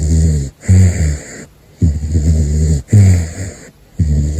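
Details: Gosha the caracal (Big Floppa) asleep and snoring: loud, low, harmonic rumbling breaths roughly once a second, each ending with a brief quiet gap.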